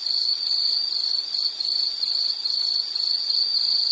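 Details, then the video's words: High, piercing insect trill in a natural setting, made of rapid joined pulses at a fixed pitch with brief dips between phrases, steady and loud over light ambient hiss. "Sound · Nature Sound of nature sounds scenery L · insect"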